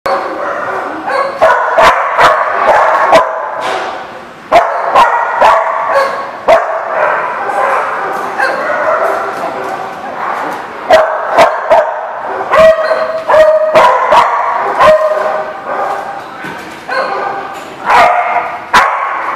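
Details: Dogs barking in a lot, a dense run of loud, harsh, overlapping barks with some higher yips and a few tonal whines, with short sharp clacks scattered throughout.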